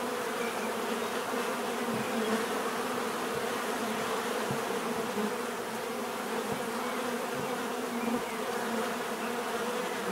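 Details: Bees buzzing in a dense, continuous drone, a steady hum with bands near 250 and 500 with a broad hiss above, level and unbroken throughout, occasional faint low thumps.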